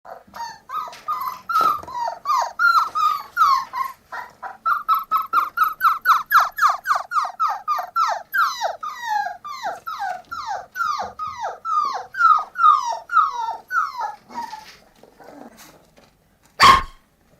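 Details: Puppies calling in a rapid series of high, downward-curving yelps and whimpers, steady for about fourteen seconds before trailing off, ending with a sharp click.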